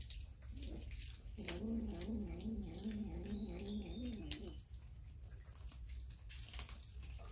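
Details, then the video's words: Hungry cats and kittens feeding on raw fish, recorded on a Samsung Galaxy S9 Plus; a low, wavering, pulsing moan lasts about three seconds, surrounded by wet chewing clicks and smacking. "Cats eating raw fish - Kittens eating fish"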